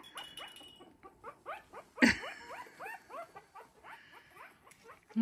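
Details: . Three-week-old Havanese puppies playing and wrestling in a newly expanded whelping box, giving rapid series of short squeaky rising-falling whines and yelps, with a sharp knock near two seconds and a woman talking softly.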